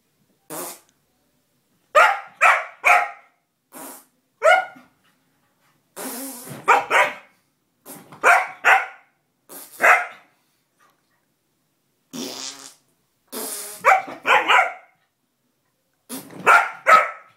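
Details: Lucy, a pet dog, barks and yelps in short bursts in reaction to a fart sound, sharp calls spaced through the recording with brief pauses, indoors.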